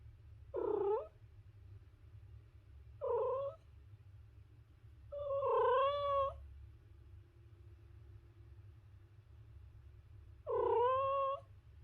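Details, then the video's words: A cat meows four times, short calls alternating with a longer wavering one that rises and falls, set against a quiet background hum and a faint steady tone between calls. "The Ultimate Cat Meowing Compilation"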